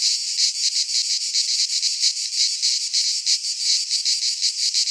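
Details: Cicadas chorus in a Greek pine forest at midsummer: an intense high buzzing wall of sound, throbbing in quick repeated swells, with no other noises present.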